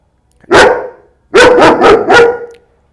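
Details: Fearful, intact 9-month-old male German Shepherd barking at a trainer during behaviour-modification training, easing as his owner walks closer: one sharp bark, a pause, then a rapid run of three loud barks.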